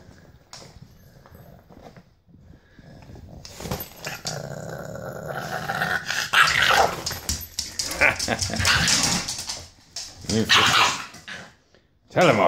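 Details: A female British Bulldog puppy, eight weeks old, tells off another dog with rough growls and snarls that build from the middle onward. The growling comes amid scuffling, and a man's voice urges her on.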